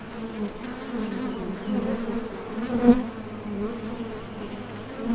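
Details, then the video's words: Honey bees buzzing at the entrance of a Top Bar Hive as foragers leave and land while seeking nectar; a steady low droning hum with a strong fundamental and overtone bands, swelling and fading as individual bees pass close, one louder fly-by midway. "HONEY BEES Sound Effect #MasonJar | BEES BUZZING"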